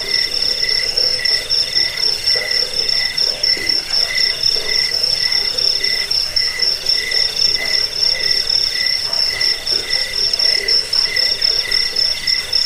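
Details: Cricket chorus offered as a rat repellent, sleep aid and songbird tutor: high, rapid, rhythmic trills stacked in several pitch layers, pulsing about four times a second without pause.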